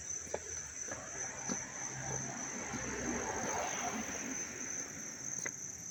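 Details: Crickets chirping up close in Dobbs Ferry, New York, on August 19, 2025: a steady, high, unbroken shrill trill holds through the whole stretch, over a soft low rumble and a few faint clicks.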